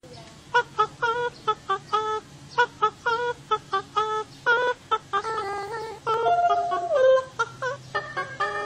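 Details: Otter calling in a series of short, clear, tonal notes, some held and some bending down in pitch, repeated in quick irregular bursts, rich in overtones and almost song-like; a faint steady hum underneath.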